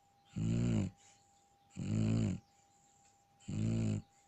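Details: A Shar Pei asleep and snoring steadily, three deep, rasping rumbles, each lasting about half a second and repeating roughly every one and a half seconds, with faint breaths in the gaps.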